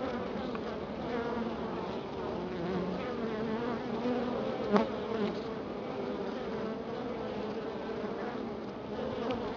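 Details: Honey bees humming inside their hive in Florida after a week of colder weather: a dense, steady drone with a low tonal core, continuous throughout, broken by one sharp click midway.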